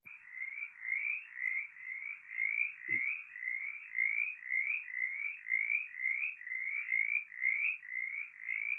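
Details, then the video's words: Mountain chorus frog from Kentucky giving its raspy, metallic reap: a steady series of short rising rasps, roughly two per second, continuing throughout, with one brief low thump near the start. "so that's the call of the mountain chorus frog"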